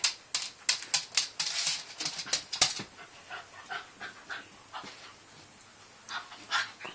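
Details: Yorkshire Terrier at home urging a pet rabbit to play; a rapid burst of high, snappy barks in the first three seconds, then softer scattered yips and pants, while a person says quiet, no barking.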